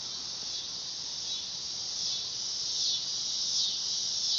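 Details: Dog-day cicada (Neotibicen canicularis) producing an intense electric buzz that wavers and swells in strength, growing louder in pulses toward the end.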